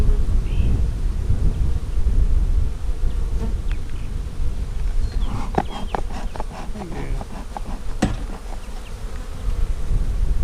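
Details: Honey bees humming during an inspection of a hive split made on March 4, checked on 15 April 2017. A steady low, dense buzz runs throughout, with people talking midway about whether the queen was marked.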